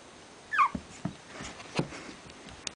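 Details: Griffon Bruxellois puppy named Dynamo, a lively pet that spends its days sleeping or playing wildly, gives one short, high whimpering yip that slides downward in pitch. Soft thumps and scuffling from its play follow.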